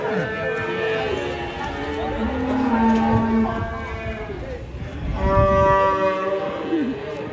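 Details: Angry banteng that broke loose while being unloaded from a truck, giving a drawn-out, low harmonic moo in the middle seconds, with a second lowing call near the end, amid loud human shouting and voices.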